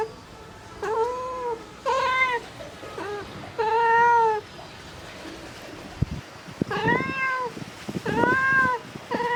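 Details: Mother domestic cat calling for her kittens, giving short arched meows in two bursts separated by a quiet pause with soft knocks, the final calls strained and breathy.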